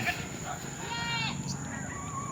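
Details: A pet goat, said to be part hybrid with long ears, gives a short wavering bleat of about half a second. Tagalog speech comes just before and after, over a steady background hiss.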